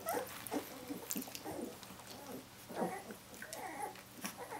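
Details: A litter of seventeen-day-old puppies calls out for their mother Brenda with overlapping, wavering squeals and whines, several pups at once in rapid, irregular succession, indoors with a low steady hum.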